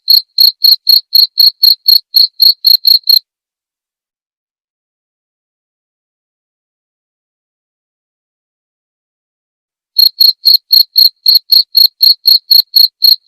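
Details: Cricket chirping, recorded as training material for white-rumped shamas to learn and mimic: clear, regular pulses near 4k with a faint upper band, about four per second for three seconds, then a long silence before chirping resumes.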